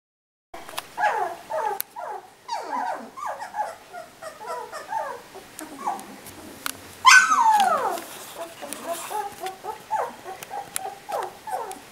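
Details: Three-week-old puppies whimpering in a litter, many overlapping short high whines that slide downward, several voices at once in rapid irregular succession, one louder squeal near the middle.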